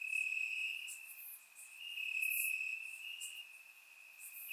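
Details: Crickets chirping in the grass on a warm summer night in Bulgaria, captured with a surround microphone: a steady high, ringing trill that holds one pitch, swelling and fading in loudness, with faint higher pulsing chirps above.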